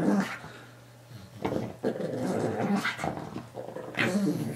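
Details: A pug growls while play-fighting a new guinea pig toy indoors. Low, rumbling growls come in several bursts with snorting breaths and short pauses between them.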